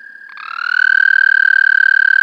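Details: American toad captured through a parabolic microphone, giving a sustained, even-pitched trill that starts soft and builds to full strength within a second, with another toad's trill fading just before.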